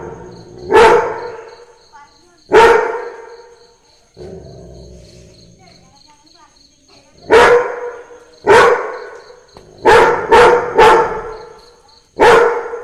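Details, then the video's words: Labrador Retriever barking to Christmas carols: eight loud, sharp, single barks come in uneven bursts, some spaced about two seconds apart and three in quick succession, over a faint steady high tinkling tone. "Labrador barking to the sound of christmas carols"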